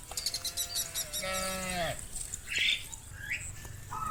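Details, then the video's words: Cow roaming the fields, calling its companions to come home to the barn: one drawn-out moo that holds steady, then slides downward and fades, after a burst of rapid clicking. Scattered bird-like chirps follow. "Sound of cows roaming the fields calling their friends to come home to the barn - Funny cow sounds"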